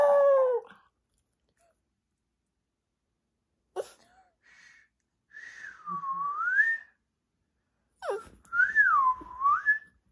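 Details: A pet puppy reacts to being whistled at, opening with a loud, falling, harmonic whine-howl and adding brief sharp yelps later, set between long, smooth human whistles that swoop down and back up.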